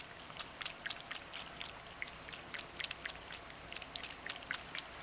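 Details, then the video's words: Everyday drinking by Mojio, a domestic Ragdoll cat: rapid tongue laps on water, short bright splashy ticks repeated roughly four times a second, otherwise quiet room. "【猫のもじお君（ラグドール）】 水を飲む① 【I will drink water Cat (ragdoll)】"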